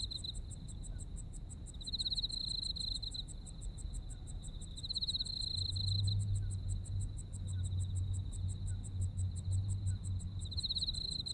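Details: Japanese autumn insects: a dense, regular stream of high chirps over a continuous trill that swells loudly three times, accompanied by a low steady hum and rumble in the background.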